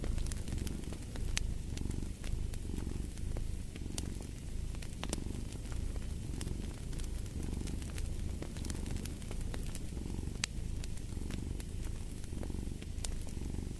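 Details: Low, continuous cat purr pulsing in even breath cycles just under a second apart, layered over the scattered snaps and crackles of a burning fireplace.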